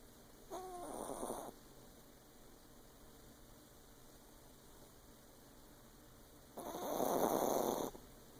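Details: A female Yorkshire Terrier, fast asleep, snores in two long, rasping breaths several seconds apart, over a faint steady hum.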